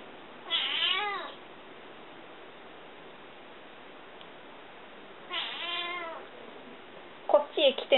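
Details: House cat greeting a welcome visitor indoors, tail moving happily: two long wavering meows about five seconds apart, then short clipped sounds at the end, over quiet room noise.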